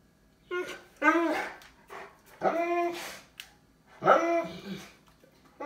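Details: Lord Loki, a Cane Corso dog indoors looking for its toy, gives a string of harmonic, moaning barks and grumbles, rising then falling, about five in under six seconds, with some human speech in a small room.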